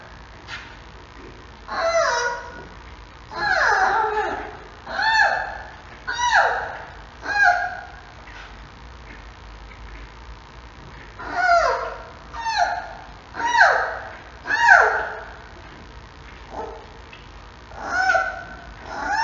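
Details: Mei Xiang's 6-week-old male giant panda cub, filmed in the morning on the Smithsonian's National Zoo panda cam, calls for its mother: roughly fifteen short, high, squealing cries that sweep downward, in irregular bursts with brief pauses, over a faint indoor hum.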